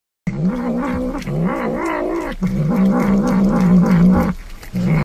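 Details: Domestic cat giving a long, loud, drawn-out meowing call with wavering pitch, broken by a short pause, then continuing in a sustained yowl before a brief final meow.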